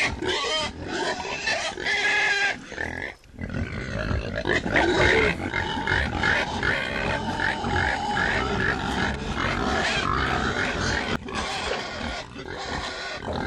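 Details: Pigs grunt and squeal in a busy group: harsh, rapid grunts repeated several times a second, mixed with short nasal squeals rising above them, one brief lull near the three-second mark.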